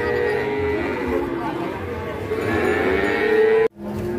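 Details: Angry cattle being unloaded from a truck in Indonesia: a long, steady, droning moo with strong harmonics, held for over three seconds before breaking off abruptly, with faint background noise.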